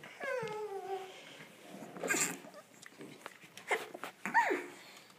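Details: Olde English Bulldogge puppies, ten weeks old, at play in a pen indoors: a clear descending whine slides down in pitch over nearly a second, followed by scuffling, rustling, and short yelps and squeaks from the litter.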